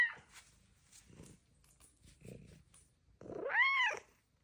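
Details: Female pet cat indoors chatting with her owner: one loud arched meow with rising then falling pitch near the end, after soft faint rustles, with the owner's quiet voice around it.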